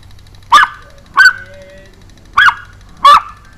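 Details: Pomeranian barking while jumping, recorded in June 2012: four shrill, short yaps, the first pair close together, then a gap before two more, over a faint electrical hum.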